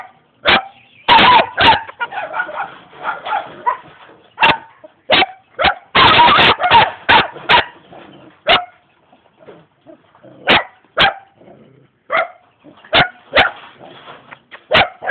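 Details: Jamaican young German Shepherd dog barking repeatedly, first in dense clustered volleys mixed with noisy scuffling, then as loud isolated barks every second or so.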